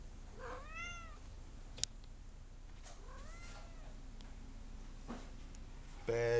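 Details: Angry domestic cat indoors wanting to go outside, giving two short rising-falling meows early on, then quiet room hum, a sharp click and a brief louder burst at the end.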